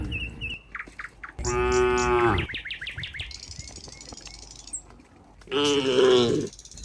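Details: Cows walking as a group toward their pen on a farm: two strong, resonant moos, one early and one late, with quick bird chirps and a thin high whistle between them.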